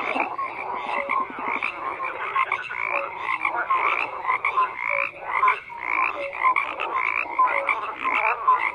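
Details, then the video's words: Many frogs croaking at once, raspy pulsed calls overlapping in a steady chorus, short clear tonal notes popping up between the rougher croaks. "FROGS CROAKING"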